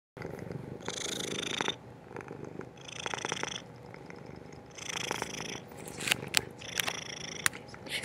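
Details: A scared pet cat indoors, recorded on a laptop microphone, purrs in a low rumble. Breathy, hissing bursts come about every two seconds, a few sharp clicks are heard, and a person's voice is faint.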